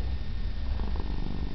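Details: Female Siamese cat purring, a steady low rumble that holds unbroken through the short stretch with no other clear sounds.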